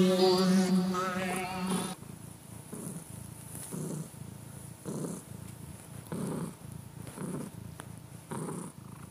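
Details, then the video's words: Domestic cat purring, opening with a brief wavering tonal sound before settling into rhythmic low rumbles, one pulsing burst about every second, each swelling and fading with the cat's breathing. "The beat purring of a cat"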